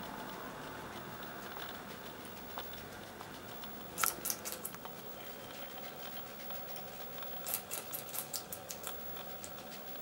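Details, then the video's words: Two pet guinea pigs, Poopie (agouti) and Nacho (white and brown), share a meal of red pepper indoors; sharp crunching bites come in quick bursts midway and again near the end over a steady background hiss. "Guinea Pigs - Eating Red Pepper"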